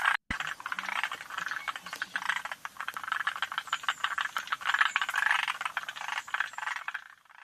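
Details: Forest green tree frog at Yoshitani, June 2025, giving softer pulsed rattling calls in uneven bursts after a short break near the start, and fading toward the end, with occasional sharp clicks.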